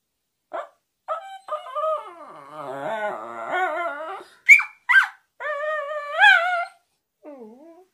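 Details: Westiepoo dog trying to tell its owner something, producing a series of warbling, whiny howls with wavering pitch, a couple of short high yips in the middle, and a final drooping whimper.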